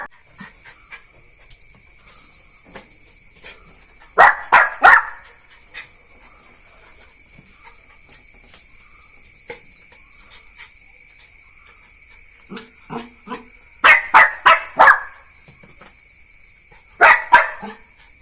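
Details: Neo, a Jack Russell Terrier puppy, barks in quick bursts of three or four sharp yaps, clustered three times and separated by long quiet gaps, over constant shrill insect hum.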